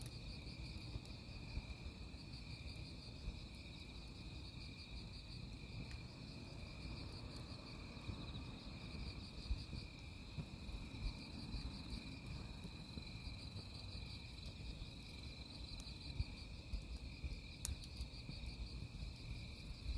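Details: Crickets at a campsite, chirping in steady, finely pulsed high trills that run through the whole stretch, over the crackle and low rumble of burning firewood with occasional sharp pops.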